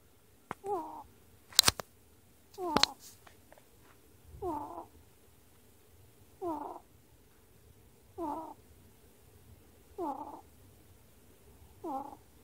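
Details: On 10 March 2018, a ferret snores in steady, breathy rasps about half a second long, repeating every two seconds or so, with a couple of sharp clicks near the start.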